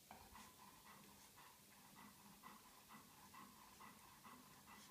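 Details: Two-week-old Golden Retriever puppies from one litter give soft, repeated squeaky whimpers over a breathy, hissing background.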